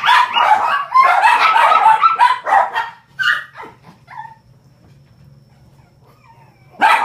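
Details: Male Shih Tzu puppy, white and gold, 43 days old, born 24 July 2014, recorded indoors in Osaka, Japan on 5 September: a burst of rapid high yapping barks and yips, then quieter whines, a low hum, and one last bark.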